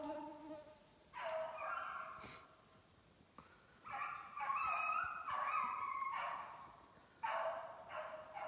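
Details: Beagles from a kennel in Maine baying while running a snowshoe hare during summer conditioning, 14 July 2019; drawn-out bawling bays in bursts with short gaps, several dogs overlapping, an insect buzz in the background.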